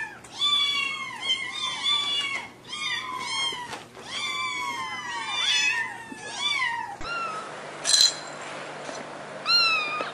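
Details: Domestic cat meows compiled to attract other cats: a rapid run of clear, harmonic, arching meows, some rising then falling, several in quick succession, followed by a cut to a noisier recording ending in one more meow.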